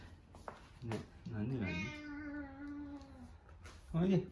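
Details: A chubby pet cat, called indoors with 'come here', gives one long drawn-out meow of about two seconds that wavers and then holds steady, with a man's voice speaking before and after.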